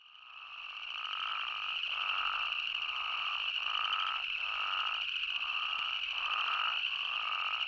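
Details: Spadefoot toads in Arizona give short, repeated nasal calls over a steady, high-pitched chorus drone.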